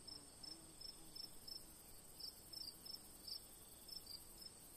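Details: Crickets at night under a full moon: short high chirps repeated roughly every third of a second in a steady rhythm, over a constant high-pitched insect hiss and a faint low murmur.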